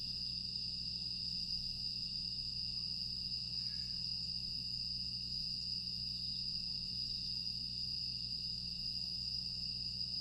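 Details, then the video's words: Night chorus of grass insects in Aewol, Jeju, recorded 25 August 2022: one continuous thin, high ringing tone, layered with softer overtones, held evenly for the whole stretch above a dull low hum. "조용한 풍경과 풀벌레 소리"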